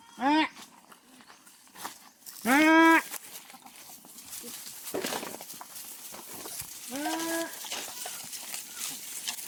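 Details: Farm goats bleating in very hot weather as they are taken out to graze; three short harmonic bleats spread across the recording, with a person talking and background noise.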